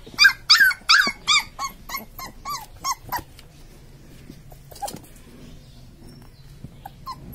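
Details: Newborn Labrador Retriever puppies giving a short burst of high arched squeaks and whimpers that fade over three seconds, followed by near quiet with faint rustling and a few isolated soft squeaks.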